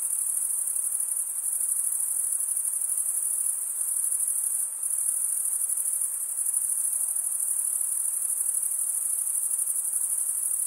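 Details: Dense cricket chorus of males chirping by wing stridulation: an even, piercing high trill with a faint rhythmic flutter, briefly dipping once near the middle before resuming at full strength.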